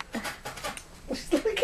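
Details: Domestic cat indoors, from a home with two cats, Peanut high on catnip and the timid Taz; soft breathy sounds give way to a few short rising meow-like notes in the final half second, in a small room.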